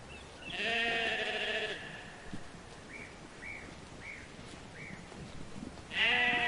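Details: A free-roaming farm lamb gives a wavering, nasal baa lasting about a second, then four short chirping bird notes, and a second bleat starts at the end.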